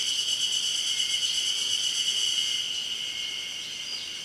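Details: Loud Ezo-haruzemi chorus from Mount Hayama, Nagai, 24 May 2015: piercing, sustained buzz with a slight pulsing texture, easing a little toward the end.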